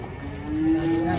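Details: A single cow moo at a cattle market: one long, low tone that slowly rises in pitch and swells louder toward the end, heard over a steady murmur of background noise.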